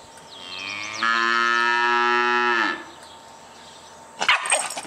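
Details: Cow giving one long, steady, rich harmonic moo lasting nearly two seconds, preceded by a faint high descending whistle and followed by a sharp clattering knock.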